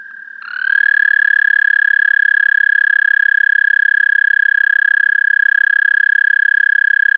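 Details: Close American toad trill captured through a parabolic microphone: a faint distant trill, then a loud, sustained, rapidly pulsed musical trill swelling in and holding steady on one pitch, with clear overtones.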